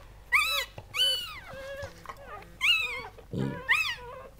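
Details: High, shrill squeals in bursts from Goldendoodles during Sandy's whelping of seven puppies, each cry sweeping up then down, alternating with lower steady whines; four loud squeals across the stretch, indoors.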